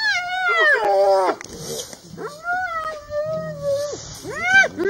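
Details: Wild hyena clan facing a lioness in the Masai Mara: drawn-out tonal calls that slide downward, one long level wail, then a sharp rising call at the end.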